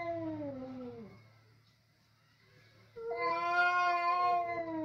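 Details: Two male domestic cats fighting over food in a home kitchen: a falling, drawn-out yowl fades away, then after a pause a louder, strained, steady wail rises and holds to the end.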